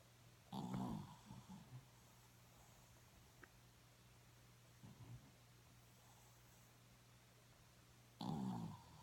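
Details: Sleeping dog snoring indoors: deep, rough, low-pitched snores near the start, at about five seconds and near the end, with softer breaths between and a steady electrical hum underneath.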